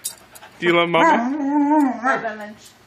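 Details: Alaskan Malamute 'talking': a single sustained wobbling moan of about two seconds, pitch dipping and swelling, with a short rising inflection near its end, among a woman's soft words.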